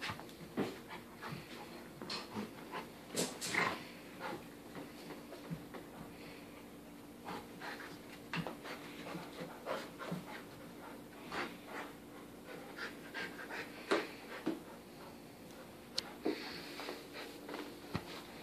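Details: A 14-month-old English Cream Golden Retriever humps a toy elephant and tosses it in the air, breathing in quick, breathy huffs between soft thumps and rustles of play.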